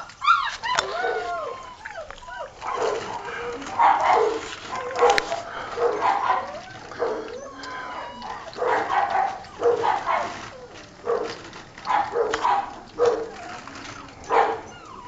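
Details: Six-week-old Old Tyme Bulldog puppies, a litter of three males and one female newly weaned from their mother and eating, give repeated short yelps and whiny yips roughly every second, with overlapping voices and feeding noise.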